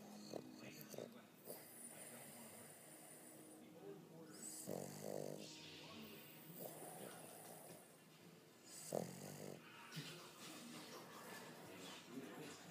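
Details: A female Boston Terrier snores in slow, rasping breaths, with quiet human voices in the background.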